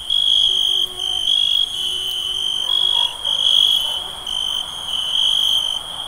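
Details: Crickets on a summer night giving a sharp, high, ringing trill in bursts under a second long, separated by short quieter gaps, steady throughout with a faint lower tone in the background.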